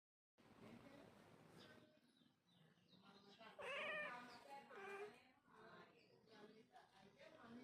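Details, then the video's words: Domestic cat meowing indoors: two drawn-out, rising-then-falling meows near the middle, the second slightly shorter, over steady low background noise with faint human voice sounds. "Cat sound Effect"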